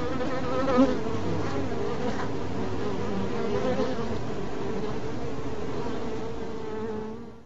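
A bee's steady, low droning buzz, rich in harmonics, holding an even pitch throughout.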